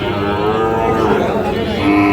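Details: Bull calves of the Sahiwal breed at Khochabari market in Parbatipur, Dinajpur: a continuous nasal moo with many stacked overtones, slightly wavering in pitch, set against a dense murmur of people talking.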